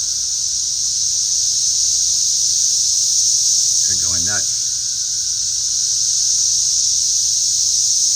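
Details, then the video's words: Cicadas flying around outdoors fill the air with a loud, steady, high buzzing drone that never pauses, while a short human vocal sound breaks through briefly near the middle. "I was filming the cicadas flying around."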